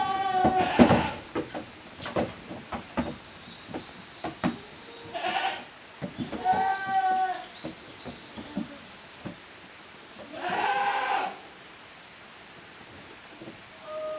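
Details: Young goats from two litters playing as two teams in the exercise yard of a handmade goat farm, 13 June 2023; several loud, quavering harmonic bleats come in separate bursts between sharp clicks, hoof knocks and quiet pauses.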